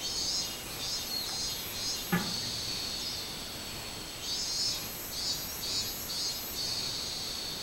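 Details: Robust cicada (minminzemi) recorded 24 July 2016: shrill buzzy droning high in pitch, swelling and fading in pulsed bursts, with a brief sharp knock near the two-second mark.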